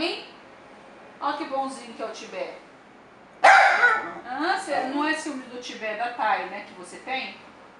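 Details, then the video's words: Jealous dapple piebald Dachshund (Teckel) complaining while his sister sits on the owner's lap: a few soft wavering moans, a sudden loud yelping whine, then continuous undulating, chattering grumbles rising and falling in pitch. "Pissed off Talking dapple piebald Dachshund / Teckel"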